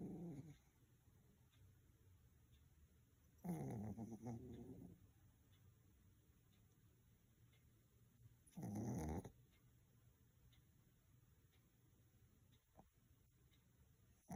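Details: A Pomeranian dog asleep gives two long, rasping snores about five seconds apart, harsh and breathy with a low throaty rumble, separated by soft, quiet breathing.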